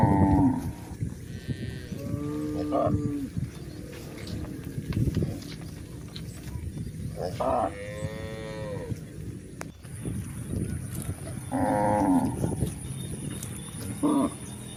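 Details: Village cows out grazing in a green pasture, giving several short harmonic moos scattered through the clip, some higher and nasal, over a busy background of chewing, rustling and low field noise, with a steady high electronic tone.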